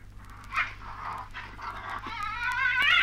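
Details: Tasmanian devils in Australia give a run of nasal, whining cries about every half second, then a longer rising, strained whine; a low hum runs underneath. Recording from 1968.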